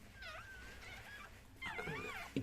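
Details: Whimpering squeaks during a Chihuahua's birth of seven puppies. Two bouts of high, quavering whines, the second louder and more tremulous, with a soft counting voice between.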